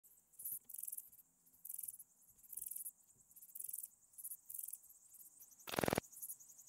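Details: Pachytrachis gracilis bush-cricket singing at Vela Ucka, Croatia, on 30 July 2023: very high, thin buzzy pulse groups repeated about once a second, with one loud broadband crackling burst near the end.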